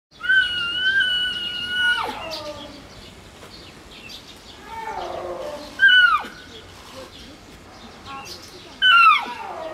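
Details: A snow leopard cub, recorded June 2018, gives loud, high mewing calls that hold steady, then slide sharply downward, apparently calling from inside its den, seemingly for its mother, in the heat.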